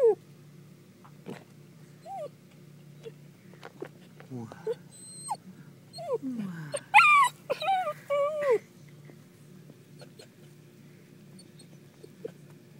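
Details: Dachshund barking, heard as scattered short tonal yips early on, then a dense burst of loud, wavering whines and yelps in the middle, fading back to faint, sparse sounds.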